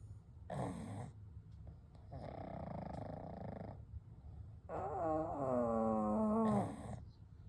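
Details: Kou, Gen and Shun, three pugs asleep side by side at night, snoring and breathing: a brief snort, a longer rasping breath, then a drawn-out whistling snore sliding slowly lower, with soft pauses between breaths.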